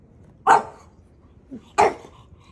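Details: A playful puppy, Maui, provokes his older brother; two sharp barks roughly a second and a half apart over a quiet background.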